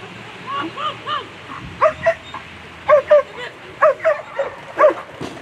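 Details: German Shepherd at a world championship agility competition, barking in a run of short, sharp, repeated barks about once a second, some doubled, over a murmuring background.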